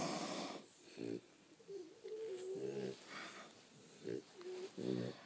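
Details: Snoring from sleeping French Bulldogs in a house: short, softer rasping snore bursts come at irregular intervals, mixed with a thin whistling wheeze between breaths against a low background hiss.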